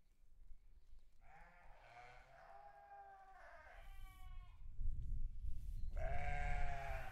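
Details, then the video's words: Farm sheep with a run of softer, wavering bleats, then a louder bleat near the end, partly masked by heavy low rumbling noise that grows through the second half. "Sheep farm"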